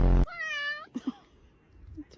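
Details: House cat giving one drawn-out, level, nasal meow lasting about half a second, right after a loud burst of a person's voice, then a few soft low bumps and a faint short squeak.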